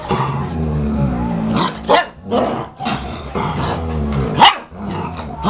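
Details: German Shepherd puppy play-fighting with its mother, filmed in 2012: low rumbling growls broken by short sharp barks and yelps, bursts coming every second or two, with a steady low hum underneath.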